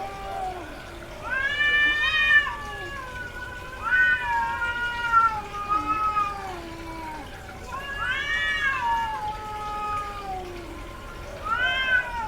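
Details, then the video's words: Domestic cats in heat, females vocalizing a lot during the cycle: loud arched meows rising then falling, repeated every few seconds, overlapping a lower drawn-out moaning cat, harmonics-rich and strident. "SOM de GATO no cio - Barulho de GATA no cio Gatos miando"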